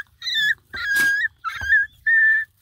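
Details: A female bluetick beagle puppy among her littermates gives a string of high, drawn-out, sad-sounding howls with brief breaks between them.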